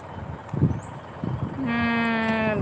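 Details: Water buffalo giving a single steady, drawn-out call of about one second, slightly higher at the onset then held flat and rich in overtones, preceded by a few dull knocks and a brief voice.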